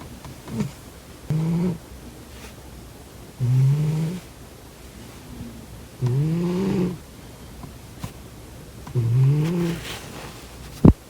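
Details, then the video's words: Sleeping cat with its nostrils blocked, giving a run of low, rough snores every two to three seconds, several with a slight rising whine, ending in a sharp click. "코 골면서 자는 고양이 콧구멍 막아보기😺 코고는 고양이 Snoring cat"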